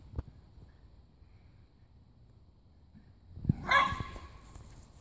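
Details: Backyard fight between two Jack Russell Terriers, Timmy and Oliver. After a long quiet stretch, a single loud, harsh bark breaks out, with a short rumbling snarl around it. Earlier there is one faint thump.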